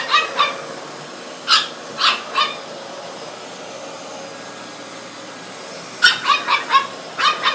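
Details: Thirteen-week-old French Bulldog puppy confronting a vacuum cleaner on first meeting: two clusters of bright, snappy barks, three near the start and a rapid run of five or six near the end, separated by a quiet gap with faint machine hum.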